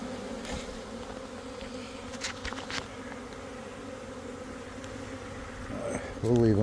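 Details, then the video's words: Italian honey bees in a swarm giving a constant low droning buzz, with a few soft knocks midway and a man's voice breaking in during the final second. "Swarming Bees Honey Bees Italian Honey Bees in Swarm Mode"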